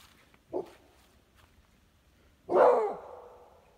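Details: A Pitbull and a Beagle–Basset Hound mix: one short, faint yip, quiet for two seconds, then a long, loud, drawn-out bark that trails off slowly.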